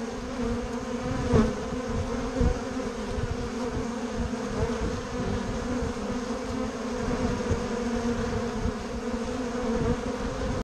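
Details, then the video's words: Many bumble bees and honey bees humming together at Bourneside, a dense, even drone of overlapping wingbeats with occasional soft taps and a brief louder buzz early on. "Bourneside bees"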